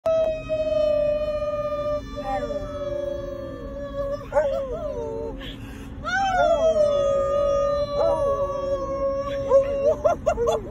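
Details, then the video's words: Forrest, a Basset Hound, howling together with his owner: long drawn-out wavering tones that slide and quaver, rising and falling in several howls, with a steady background hum. "Howling Hound"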